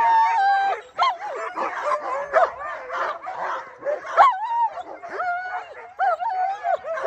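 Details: Alaskan Malamutes, the females Sojou and Dotty, among a sled dog team getting ready to set off on a run behind a cart; high, wavering whines and sharp yelps from several dogs overlap continuously, some rising and falling in pitch.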